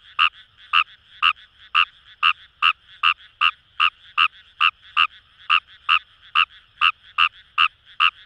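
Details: Rice frog (Fejervarya kawamurai) in Itoshima paddy fields, Fukuoka, Japan, giving clipped nasal croaks at roughly two to three per second, about nineteen notes, evenly spaced, with a soft background hum of other callers.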